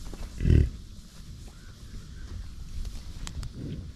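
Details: American bison at a buffalo ranch: one loud, deep, throaty grunt bursts out early, followed by quiet low rumbling and a softer second grunt near the end.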